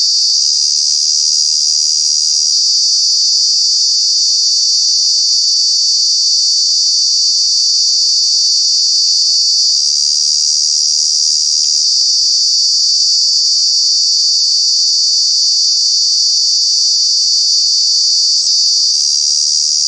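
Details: Very loud cicada droning in Kanha National Park in the summer months, a high continuous shrill tone that swells and shifts slightly every few seconds, with no other animals clearly heard.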